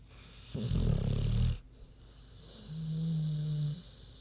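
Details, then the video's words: Queenie, a big pig, snoring while asleep: a loud low rumbling snore of about one second, then a quieter steady low-pitched hum on the next breath. "Big Pig Snoozin' (HD Queenie Snoring Audio)"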